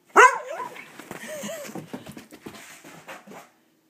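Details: A dog asked to speak and do a high five indoors lets out one sharp bark at the start, followed by soft, scattered rustling and faint murmurs until it fades.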